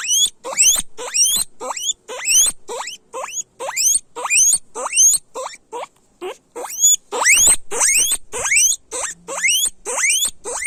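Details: Guinea pigs squealing loudly: a rapid series of sharp rising whistled wheeks, each sweeping upward to a high shrill peak, about two per second, with harsh noisy overtones and brief gaps between calls.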